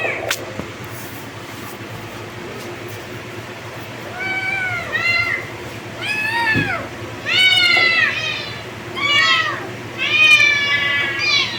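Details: Kittens meowing repeatedly after a quiet start, the arched, rising-then-falling meows coming in quick overlapping bursts from about four seconds on, growing louder toward the end, with low background hum.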